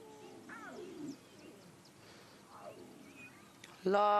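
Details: On an October 26, 2016 sunrise drive, the two older Nkuhuma lion cubs fight over a buffalo tail at a buffalo kill, giving two snarling, falling yowls a second or so apart; a man's voice starts loudly at the end.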